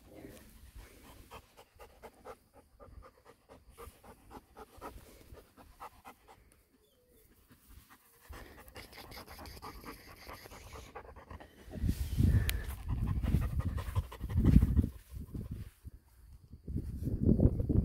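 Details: Male Golden Retriever puppy, six weeks old, breathing in fast, soft, rapid pants at first, then heavier, louder gusts of panting in the closing seconds.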